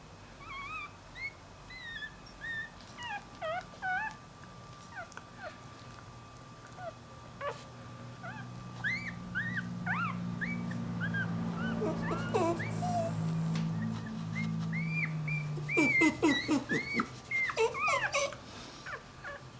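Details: Newborn Dachshund-Jack Russell cross puppy that has wandered from its mother, whining: rapid, high, thin squeaks, many curving up then down, repeated about twice a second, with a steady low hum and soft rustling below.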